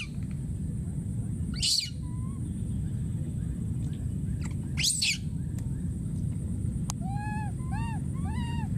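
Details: A wild baby monkey gives short harsh screams, then a run of arched, tonal cries, calling for his friend.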